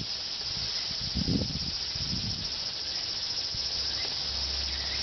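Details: Cicadas in the evening in Japan: a steady, dense, hissing buzz fills the whole recording without pause, with a few low thumps near the start.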